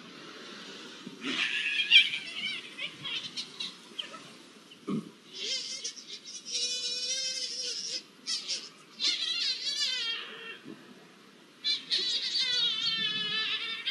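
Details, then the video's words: Iberian lynxes copulating, recorded 05-01-24: a series of wavering, warbling yowls with rich harmonics, some long and quavering, broken by short gaps, with lower moaning tones beneath. "SONIDO DE LINCES COPULANDO"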